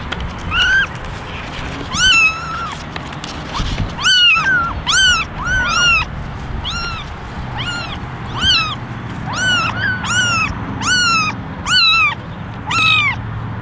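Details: Eleven kittens in a basket, ten ginger and one white, meowing for attention: many overlapping high, arched meows with strong harmonics, rising then falling, coming almost every second from several voices at once.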